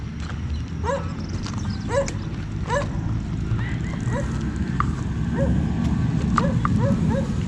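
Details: Rigel, a Siberian Husky, taken in the morning to a park parking lot; a series of short, sharp rising yips repeated roughly every second, some fainter, against constant low-pitched ambient noise.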